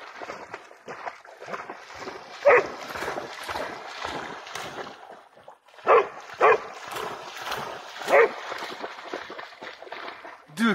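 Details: Jax, a dexterous Pharaoh Hound chasing a bat over the water, barks in brief, loud bursts: a single bark, then a quick pair several seconds later, another lone bark, and a low whine at the end, over continuous rushing noise.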